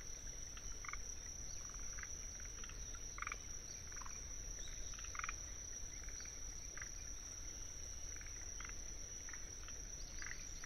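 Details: Kinhibari crickets (Anaxipha pallidula) sing a steady, high, ringing trill while forest green tree frogs (Rhacophorus arboreus) chatter in bursts, in a wetland in Tsuruoka, Japan, on 19 June 2021.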